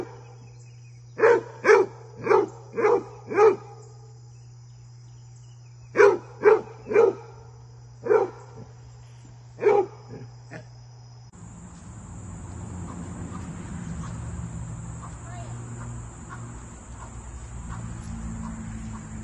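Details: Basset Hound playing with deer: two bursts of deep, rapid barks, five then four, followed by a few spaced single barks, before the recording turns to broad rushing noise with no barking.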